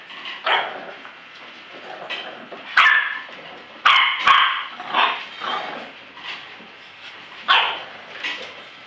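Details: Bulldog puppies at a kennel in Florida, short yappy barks and yips repeated irregularly, about eight bursts over nine seconds, high-pitched with a faint steady background hum.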